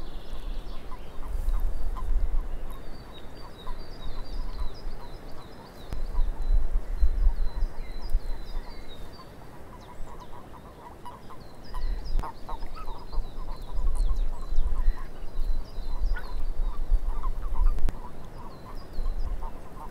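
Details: Swamp frog chorus, many animals giving brief duck-like croaks in loose repeated runs, while faster high twittering chirps come and go above them; a heavy low rumble swells and fades throughout.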